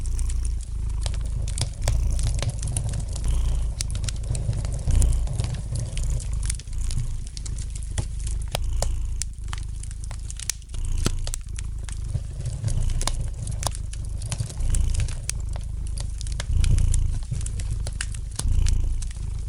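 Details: A domestic cat purrs gently by the fireplace, its low throbbing rumble waxing and waning steadily while the fire crackles lightly with irregular sharp pops throughout.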